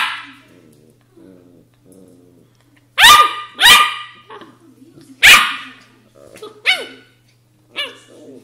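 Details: Australian Shepherd puppy vocalizing: soft low murmurs first, then a few sharp high yelping barks with falling tails, spaced a second or more apart, with quieter whines between.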